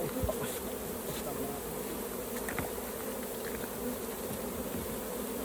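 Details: Dense buzzing of many honey bees around a hive during honey collection, forming an unbroken mid-pitched hum with a few soft clicks near the start.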